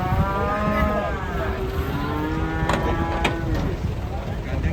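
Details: Cattle from an Indonesian collection of funny cows: one long, drawn-out moo that wavers and bends in pitch across several seconds, rich in harmonics, over a steady low rumbling background with a couple of sharp clicks.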